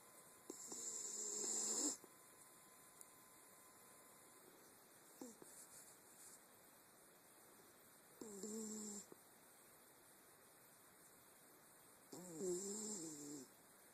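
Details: Ma La, a Wire Fox Terrier, snores on an Android phone recording: loud rasping breaths near 2, 8 and 12 seconds, each a second or two long with a hissing high edge and wavering low tone, fainter snuffles between, constant hum behind.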